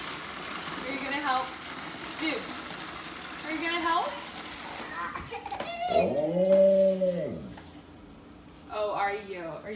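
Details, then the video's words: Dude, a pet Alaskan Malamute, howls in a kitchen while his little human sister vacuums with a toy vacuum. A single arched howl, rising then falling, sounds midway through, surrounded by child speech and the whir of the toy. "Alaskan Malamute expresses his desire to help vacuum the kitchen"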